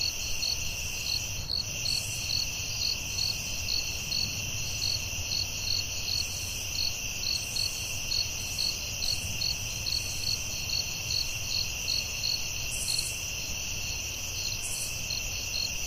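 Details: Forest crickets at night keep up a constant shrill buzz, punctuated by rapid regular chirps and occasional higher hissing bursts, with a dull low hum underneath.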